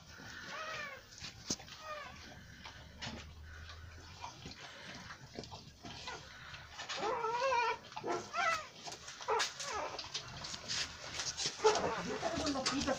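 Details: Newborn American Bully puppies giving thin, rising and falling whimpering squeaks, sparse at first and then coming in quick overlapping bursts toward the end, with clicks and handling noise and a brief low hum.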